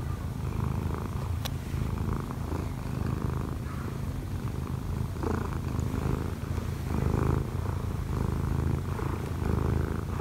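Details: Odd-eyed Munchkin cat Kkobugi, one year four months old, purring while kneading on its owner who slept late. Deep continuous rumble, evenly pulsing, with faint rustling on top and nothing else heard.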